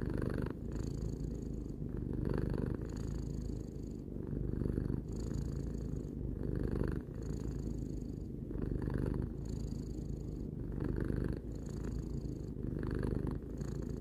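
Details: Sustained purring from Tarou, a domestic cat aged three, recorded up close: a grainy low-pitched rumble that never stops, rhythmically brightening and dipping with breathing roughly every second and a half.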